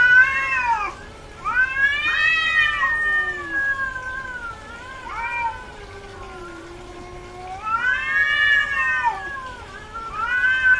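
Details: Female domestic cat in heat caterwauling: long, wavering, harmonic-rich yowls that rise and fall, loud drawn-out cries at the start, around two seconds and near eight seconds, with a lower moaning tone in between.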